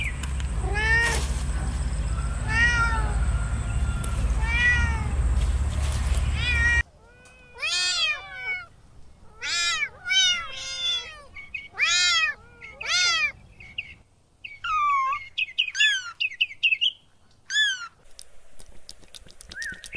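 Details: Kittens playing on grass: a burst of rapid, arching meows with rich harmonics, first over loud low rumbling noise, then in a quieter stretch as a fast series of short mews and a few higher, squeakier calls.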